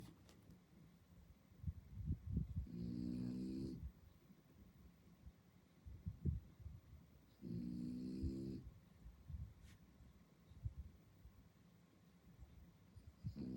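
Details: A sleeping French Bulldog on Sentosa Island, Singapore, snores in long, rattling, low-pitched bursts, each lasting about a second.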